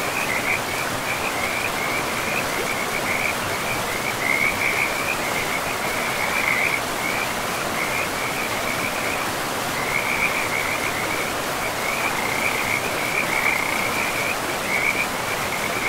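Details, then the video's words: Frogs calling beside a river in a pristine forest with moss-covered ground: a steady line of rapid, high trilling croaks runs throughout over the constant broad rush of flowing water. "River and Frogs sleep sounds"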